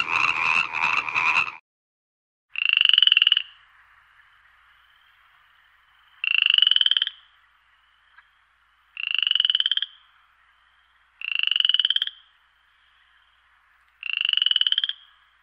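A frog gives loud, harsh, buzzy calls, each under a second long, repeated every few seconds.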